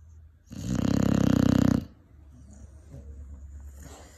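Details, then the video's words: Sleeping five-month-old Cane Corso gives a single loud, vibrating, throaty snore lasting over a second, followed by low, quiet breathing. "5 months Cane Corso snoring"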